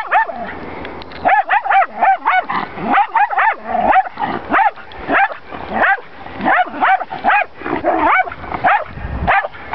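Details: Jack Russell Terrier reacting to horses, giving rapid, excited yappy barks in dense bursts, about twenty short sharp yips over ten seconds, some whiny and rising, with a steady background hum.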